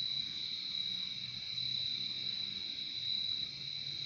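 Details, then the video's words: Crickets chirp in a steady, high continuous chorus with a second softer band below it, over a faint low hum that persists for the whole few seconds. "Relaxing sound of crickets"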